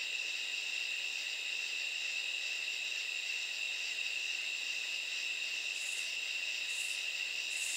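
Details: Katydids calling at night: a continuous high-pitched chorus of steady buzzing trills, with soft higher pulses recurring about once a second near the end.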